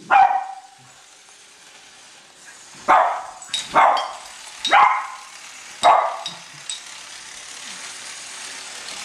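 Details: Cavalier King Charles Spaniels, two dogs, bark excitedly as they chase a new train circling the Christmas tree; one drawn-out bark opens, followed after a gap by four sharp barks about a second apart.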